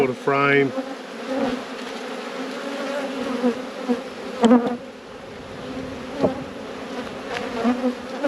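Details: Honey bee colony buzzing throughout an apiary inspection, an even low-pitched hum with a brighter overtone. A short spoken word opens it, followed by a few faint taps.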